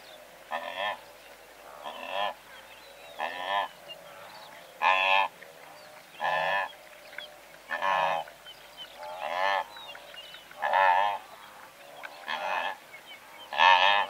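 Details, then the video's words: Blue wildebeest in a herd of several hundred, larks singing and zebra braying around them: a steady series of loud, hoarse honking calls, roughly one every one to one and a half seconds, with softer distant calls and light chirping. "Blue Wildebeest / MCU Calls From A Herd Of Several Hundred"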